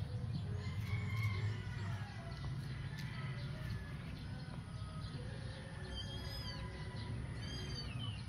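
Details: Eight-week-old adopted stray kittens playing in a backyard; after a long stretch of low steady rumble and faint chatter, two short rising-and-falling meows sound near the end, a second apart.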